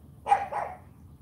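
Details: Charme, a female AKC Cane Corso champion puppy, gives a single bark at morning training. It breaks into two parts, a sharp onset and a fuller, lower tail, in a quiet setting.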